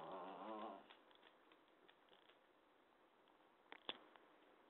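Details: A talkative cat gives one short, wavering, harmonic meow lasting under a second at the start, followed by a quiet indoor room with a few faint clicks and knocks.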